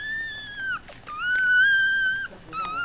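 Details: Newborn Yorkshire Terrier puppy from a litter of five, crying with clear, high, tonal whines: a long steady note sliding down at its end, a brief gap, then a longer level whine and a short final one.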